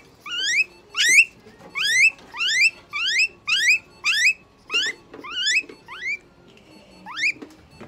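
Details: A guinea pig at a veterinary clinic, during treatment with eye drops, injection, light therapy, moisturising and brushing, gives a run of shrill, upward-sweeping squeals, one after another in a rapid series.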